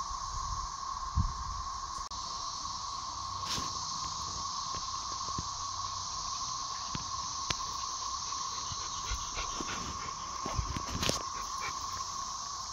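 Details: Thirteen-year periodical cicadas emerging in 2024 in full chorus overhead in a dog yard, a steady droning whir with a hissing shimmer above it, unlike the annual summer cicadas.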